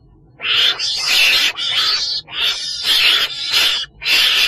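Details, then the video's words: A ferret-badger gives harsh, hissing screeches in bursts of about half a second, five in a row, roughly one each second. "tiếng chồn đèn"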